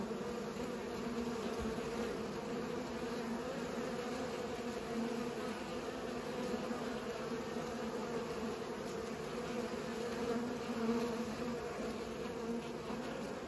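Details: Pollinating bees make a constant overlapping hum, low and steady throughout, swelling slightly near the end; no other animals or voices stand out.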